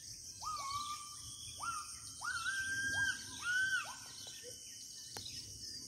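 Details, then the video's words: Gibbon calling from deep inland forest in Kalimantan, with five rising whoops that swing up and level off into brief held tones, with a constant shrill insect chorus behind them. "Suara owa owa dari hutan pedalaman kalimantan"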